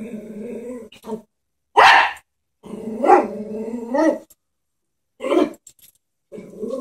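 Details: Pet Chihuahua frightened by a stuffed horse toy: a low rumbling growl broken by three sharp, noisy barks spaced a second or two apart.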